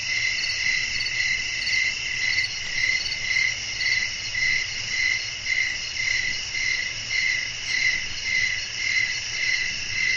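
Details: Crickets chirping through the night with wind blowing: shrill, high trilled pulses in a clear, even rhythm close to two per second, loudness swelling and fading regularly over a quiet low rumble.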